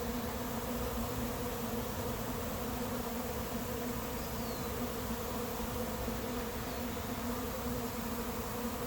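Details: A late-season honey bee swarm moving into an empty, unprepared hive; a dense, steady low hum with no pauses throughout.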